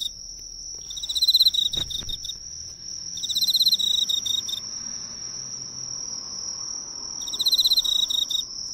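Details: Emma field cricket singing at a local drugstore's light, seen up close; three shrill pulsed chirp bursts spaced a few seconds apart, a faint tap near the start, and a continuous high tone behind.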